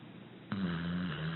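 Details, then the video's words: Single abrupt snore from Abbie, a six-year-old rescued American Pit Bull Terrier, sleeping: quiet breathing broken by a sudden snort that settles into a steady low droning hum, dipping slightly in pitch before the end. "Pit Bull Snoring Gently"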